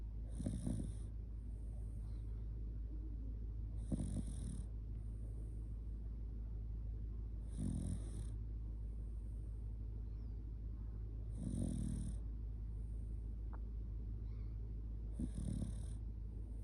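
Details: Loud snoring from Kotetsu, a Shiba Inu dozing while snuggled close: five harsh, rattling inhalations spaced about every three and a half to four seconds, quieter whistly exhales between, steady low hum underneath.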